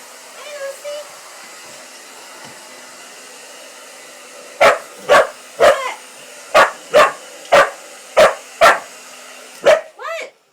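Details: Lucy, a female Pitbull-Corgi mix dog, reacts to a hair dryer with a run of sharp, loud barks over its steady whir.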